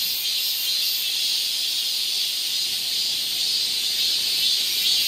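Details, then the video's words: Many cicadas singing together in midsummer in the forested Galsan Park, Seoul, Korea, producing a continuous high, sizzling drone with gentle swells in loudness and nothing else prominent. "여름 자연의 소리. 매미울음소리."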